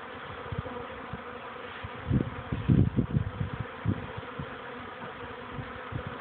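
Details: Young honey bees on orientation flights near their hive, 13 May 2013 at 14:04, warming after chilly rainy days; a continuous swarm-like hum, with a cluster of low rumbling wind bumps in the middle.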